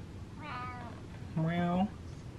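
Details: Gassy, bloated domestic cat meowing indoors while its belly is rubbed: two drawn-out harmonic meows about a second apart, with a person's voice talking softly over the second one.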